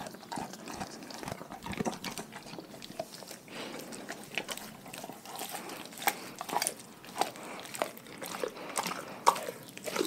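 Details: Dogs from a pack eating their raw food diet indoors: irregular sharp crunches and wet chewing clicks, scattered densely across the whole stretch, with a few louder bites standing out near the end.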